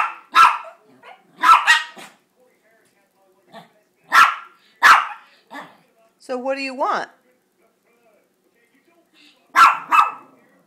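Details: Chihuahuas Gracie and JakeJake begging for a treat indoors. Sharp, spaced single yaps come every second or two, with a brief wavering whine-like sound in the middle and quiet pauses between.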